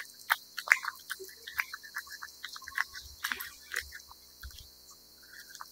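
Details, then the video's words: Wet cat food being eaten: quick sticky chewing and licking noises, about two to three per second, irregular in timing, some louder smacks early on, a few dull low thumps later. "貓吃濕糧聲音 CAT EATING SOUND"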